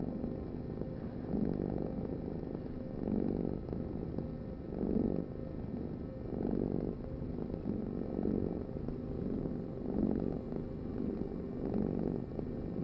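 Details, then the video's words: A cat purrs in a low, vibrating rumble, each breath producing a louder swell about every 1.7 seconds, evenly repeated with a faint steady hum underneath. "Heal with the ultimate cat purring vibration"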